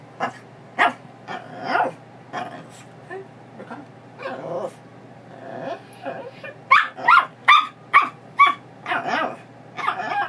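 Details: Pebbles, a female Chihuahua mix foster recovering from knee surgery, lets out quick, high yips, short barks and funny sounds, excited while her leash is put on before a walk.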